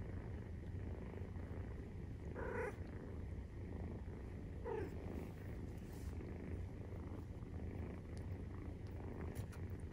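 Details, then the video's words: Nursing-time purr of a Maine Coon cat with a kitten aged 43 days: constant low rumbling throughout, broken twice by short, soft higher squeaks or rubbing noises. "授乳時のゴロゴロ 生後43日目【メインクーン動画】"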